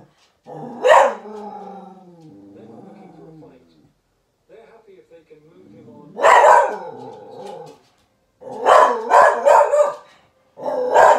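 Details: Irish Terrier, a 14-month-old female pet dog, reacting to seeing a lion on the television: a low drawn-out growling whine, then loud sharp barks in bursts, three or four rapid barks near the end.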